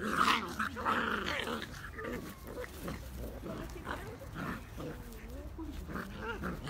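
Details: Two Beagle puppies playing together: continuous low, rumbling play growls with wavering, whiny upward and downward inflections, overlapping in quick irregular bursts, roughly one to two per second, with some scuffling noise.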